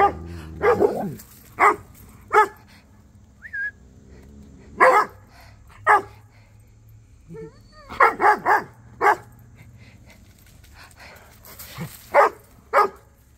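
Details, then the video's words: Rhodesian Ridgeback named Cody chatting with Duchess and the neighbour dogs: a string of about a dozen loud, deep barks, singly and in quick bursts of two or three, with brief whining between and quiet gaps. "Cody The Rhodesian Ridgeback Was Chatting With Duchess & The Neighbor Doggies!"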